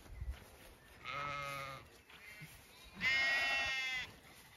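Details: Zwartbles sheep, ewes and lambs in an orchard in evening sun on a regenerative farm in County Kilkenny, Ireland: two wavering, harmonic-rich bleats about two seconds apart, the second louder and higher.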